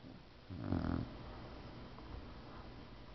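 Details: Sleeping Boxer dog snoring indoors: one loud, rasping snore with a low harmonic rumble lasting about half a second, then quiet, soft breathing against a steady room hiss.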